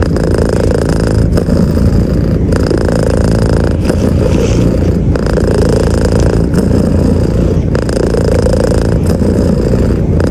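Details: Pet cat stroked in bed beneath the blanket, purring: a dense, continuous low rumble that stops briefly at regular intervals of about a second and a half, then resumes.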